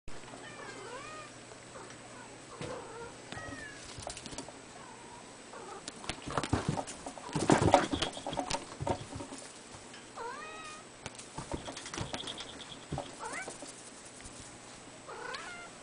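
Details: Three-month-old female ruddy Abyssinian kitten giving several short, high, rising-falling meows scattered across the recording, with a burst of clattering and knocking noises in the middle.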